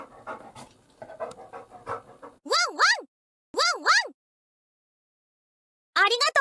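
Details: Labrador Retriever called Labu-chan, a watchdog guarding the house from inside the bath: quick panting at first, then three bursts of paired, short, sharp barks separated by silence.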